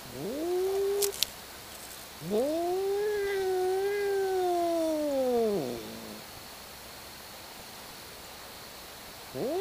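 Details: Two cats hollering at each other in a fight: a short rising wail, then a long sustained harmonic yowl over three seconds that swells and falls, another wail starting at the end.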